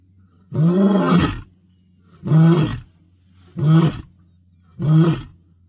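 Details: Male lion of the Bilashaka area, Masai Mara, 22 May 2025, roaring to proclaim dominance; one long throaty roar followed by three shorter, punchy ones about a second apart, with a faint constant low drone behind.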